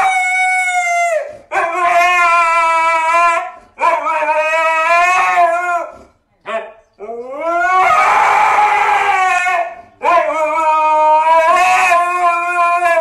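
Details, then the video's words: Siberian Husky protesting at not going out, loud screaming howls in bursts of two to four seconds separated by short silences, each cry rich and wavering, sliding up then levelling off. "husky screaming woof!"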